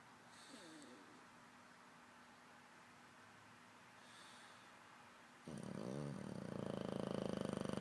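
An English bulldog snores with rough, rumbling breaths that grow louder and harsher toward the end.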